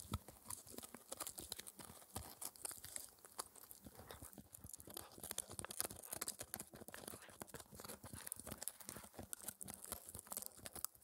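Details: A 4-month-old Shetland Sheepdog puppy chews a raw air-dried ear dental treat noisily, with wet crunches, tearing and clicks of teeth in quick irregular bursts.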